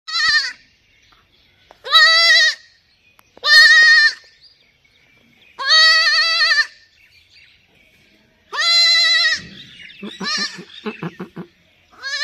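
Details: Baby goat giving a string of loud, high, wavering bleats, each under a second long and spaced roughly two seconds apart, followed by a quick stuttering, pulsed bleat before one last cry; quiet between calls.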